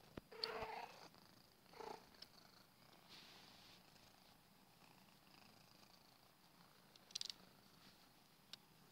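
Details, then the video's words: Purring from a small house cat as it twists around, a quiet continuous low buzzing texture, with short bright rustling bursts near the start and around seven seconds; indoor setting, no voices. "Purring Cat"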